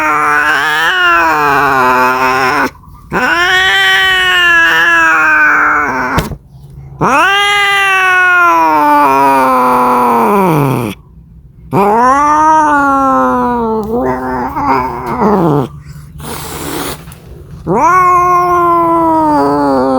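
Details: Domestic cat calling for a mate, giving a series of drawn-out arching yowls, each swelling then sagging over two to four seconds, separated by brief silences, with a steady low hum beneath.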